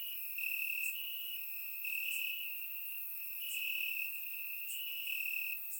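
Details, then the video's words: Crickets chirping in grass on a warm summer night in Bulgaria, captured with a surround microphone; a steady high shrill band with pulsed bursts swelling roughly every second or so, plus fainter higher ticking voices layered above. "Cricket Sounds - Crickets Chirping at Night"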